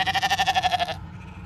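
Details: A single ewe from a large flock in County Kilkenny, Ireland, gives one quavering, vibrato bleat of about a second, then falls silent.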